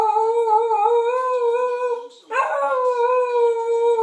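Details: Sheltie kept as a pet, howling in a small room once its owner has gone out to the store; a long level wail with stacked harmonics, a short break, then a sharp cracking onset into another sustained, gently rising howl.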